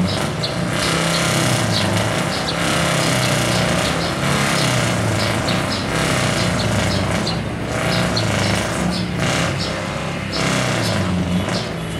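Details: A loud continuous roar of engines and broadband outdoor noise, like motorbikes or cars at a racetrack, runs throughout with no clear animal call.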